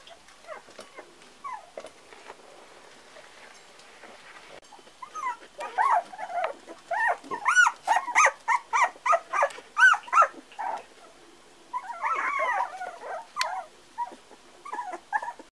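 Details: Four-week-old Parson Russell Terrier puppies squealing and yipping, a rapid run of rising and falling high whines around the middle, then a cluster of wavering squeals, with soft rustling between calls.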